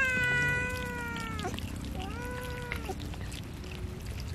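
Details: Cat being fed fish gives two drawn-out meows, the first long and slightly falling, the second shorter and rising then level, over a low steady background hum.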